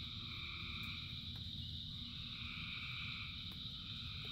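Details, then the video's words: Many frogs calling together in rain: a dense, unbroken chorus of steady high droning bands with softer mid-pitched trills fading in and out, over a low rumbling wash of rainfall. "Frogs in Rain 2 Hours of Frogs, Thousands of Frogs Singing"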